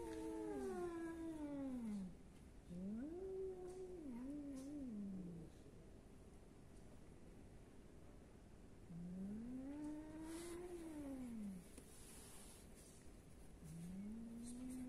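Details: Cat in Athens, Greece giving long, arched, yowling meows, four calls over fifteen seconds, each rising then falling, with quiet pauses between and faint hum beneath.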